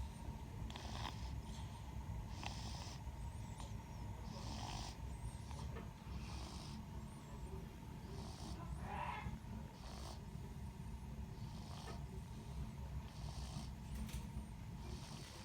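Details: A sleeping kitten snores on 7 February 2024 at khutor Yuzhny, Perevolotsky District. Soft, breathy snores recur about every one and a half seconds over a constant low hum.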